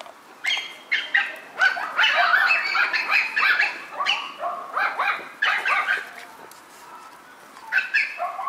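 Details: Four white Miniature Schnauzer puppy sisters, born on September 10, crying together in overlapping high, harmonic yelps and whimpers, dense bursts with short gaps, fading quieter toward the end before a final pair of cries.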